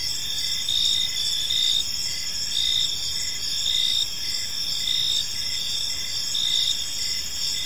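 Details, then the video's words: Gentle chirping of many crickets in a park at evening, a continuous high-pitched ringing with rhythmic throbbing pulses roughly every second and a distant low murmur. "Cricket Sounds in a Peaceful Park"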